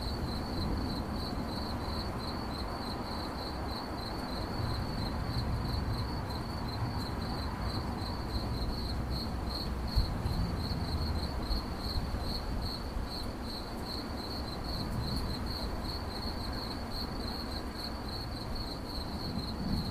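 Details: A cricket's chirping in 8D audio: an unbroken high-pitched pulsing trill keeps a constant pitch and rhythm throughout, accompanied by continuous low background rumble.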